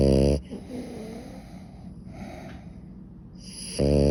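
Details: French Bulldog asleep, snoring: a loud rasping snore at the start and end with soft, airy breathing between, recorded indoors.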